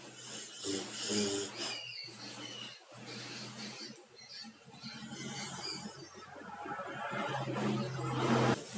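A sleeping dog snores with low, rasping, droning breaths and an uneven rhythm.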